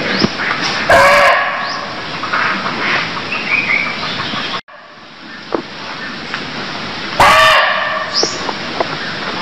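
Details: Barking deer in Cambodia: two short, loud, harsh barks about six seconds apart, each a hoarse burst with falling tonal bands, over a steady hiss of background noise.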